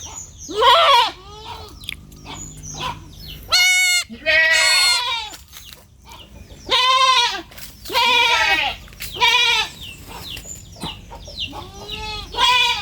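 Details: Young goat calling in a string of loud, quavering bleats, roughly ten over the recording, some rising then falling in pitch, with faint low background noise between calls.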